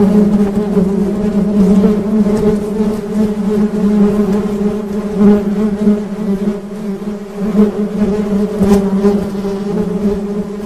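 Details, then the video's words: Honey bees producing a constant deep hum with rich overtones, swelling and easing gently in volume, with a few sharp ticks in the background. "Suara Tawon Madu"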